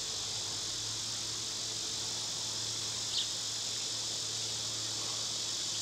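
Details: Steady, hissing cicada song in summer runs without pause, broken only by one faint chirp midway.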